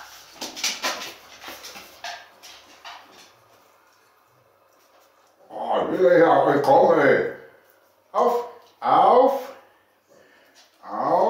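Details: Pekingese puppies getting a worming treatment indoors let out loud, arching squeals and whines in bursts of about a second, clustered over the last few seconds, after a stretch of soft human speech.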